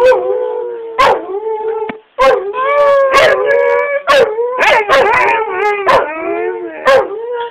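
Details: A Siberian husky that cannot properly howl or bark makes long, wavering howl-like tones broken by short yips, sounding sad at the end.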